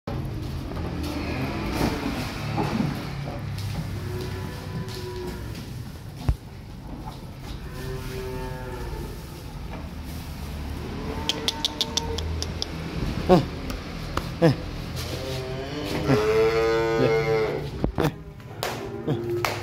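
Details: Small calves being unloaded from a truck, mooing repeatedly: several drawn-out harmonic moos, some rising and rough, spread across the recording over steady low engine rumble and clatter.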